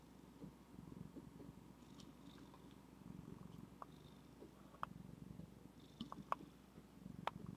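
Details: Zephy, a female pet cat, purrs softly and continuously at a low pitch through the whole stretch, with a few faint sharp clicks over a quiet indoor background.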